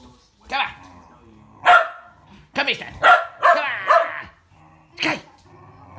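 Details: Shetland Sheepdogs, tricolor Sky and blue merle Trevor, racing on 22 February 2017; sharp barks burst out in irregular clusters, several close together mid-clip, while a person calls the dogs by name.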